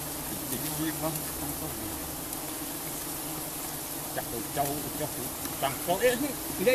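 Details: Giant honeybees swarming while honey is harvested: a constant low droning hum, several bees zipping close with short wavering buzzes, and clicking and rustling noises toward the end.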